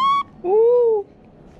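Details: Baby monkey Bop, a pet kept indoors, crying because he wants to go out. A short high whistled note is followed by a longer plaintive tonal wail that rises slightly and then falls away. A woman speaks nearby.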